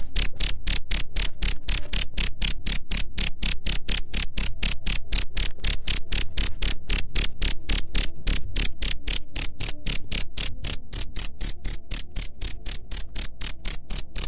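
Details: Cricket sound meant for driving off pest rats: a long steady run of sharp high chirps, about four each second, evenly spaced and slightly softening toward the end, over a faint low hum.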